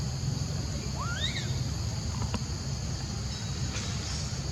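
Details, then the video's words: Monkey giving a single clear tonal call that sweeps upward then bends back down, with a faint harmonic above, over a steady low rumble and constant high insect-like hiss. "Hear Horrible Sound Like This, What Is Wrong On Monkey"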